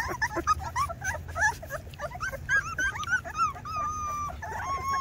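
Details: Two-week-old Rottweiler puppies whimpering and yipping: a busy overlapping chorus of short rising squeaks and whines, some drawn out into level whistly cries, repeated several times a second over a low steady hum.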